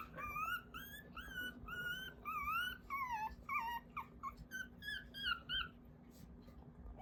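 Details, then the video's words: Newborn Mame Shiba puppies, said to be dreaming, raised in Isa, Kagoshima, Japan, give high whistled squeaky cries, rising and falling in smooth arcs, several in a row, then shorter chirping squeaks toward the end; faint low indoor hum beneath. "【豆柴犬】超癒しの赤ちゃんたちの鳴き声… 赤ちゃんが見てる夢の中…"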